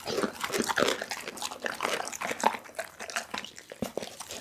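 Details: A pit bull eats a whole raw chicken, filmed close up on an Insta360 ONE R camera: continuous wet crunching and snapping of meat and bone, with dense, irregular bites and short sharp cracks throughout.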